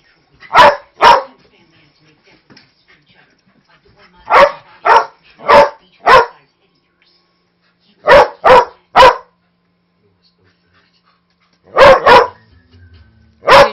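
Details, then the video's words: Snoopy, a 5-year-old Manchester Terrier mix with a huge voice, barks during harmless play with puppy Jude, a husky lab mix. Loud, punchy barks come in bursts of two to four, around twelve in all, separated by short silences. "very vocal (but harmless) Terrier mix"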